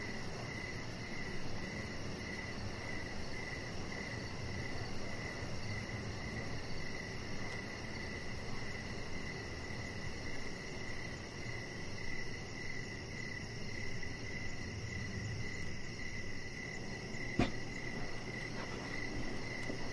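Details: Crickets heard in the evening from an outdoor deck, a steady chirping band pulsing continuously over a low rumbling background hum, with one sharp click near the end.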